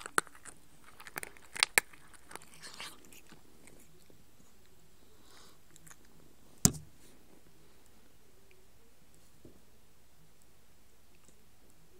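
Crunching and chewing clicks in a small quiet room, with no animal calls.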